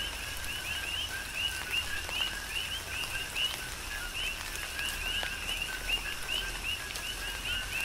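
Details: Coqui frog chorus recorded on Hawaii's Big Island in a tropical downpour: rhythmic, overlapping two-note calls, a short low tone then an upswept higher chirp, repeating continuously against falling rain and scattered raindrop taps.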